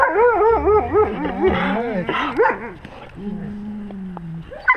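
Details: Pack wolves filmed up close with a GoPro at their level; a fast series of wavering, rising-and-falling whines and yelps, then a long low even moan.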